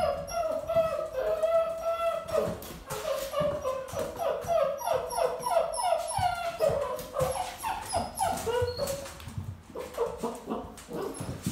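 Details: Dogo Argentino puppies at the vet give a steady run of high, whining whimpers, many short rising and falling cries tumbling over one another, several per second, with little pause throughout.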